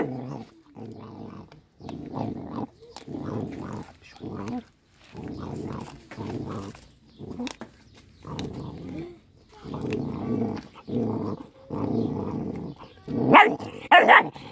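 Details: Little dog eating fish, growling in short rough bursts roughly once a second with brief pauses between, ending in two sharper, higher snarling yelps.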